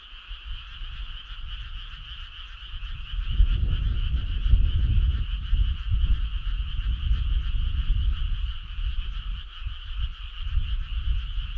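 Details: Frog choir on a midsummer night along a country road: a continuous, steady high trilling chorus of many frogs, with a heavy low rumble of background noise swelling midway.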